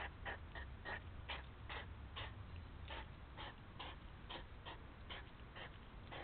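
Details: Hedgehogs bickering at a feeding place where they meet despite separate feeding stations: short breathy snorts and huffs about once a second, uneven in spacing, with a constant low hum underneath.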